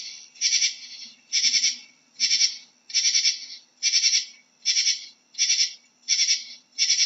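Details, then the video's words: Katydid calling with buzzy, rasping bursts about half a second long. The bursts repeat steadily roughly every 0.8 seconds, each made of rapid pulses, with a faint low hum beneath. "How does a Katydid sounds"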